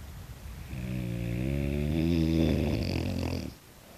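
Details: French Bulldog, a tiger brindle pet that rarely barks, making a long low rumbling snore-like snort lasting about three seconds, with a rough harmonic buzz, in a quiet indoor room.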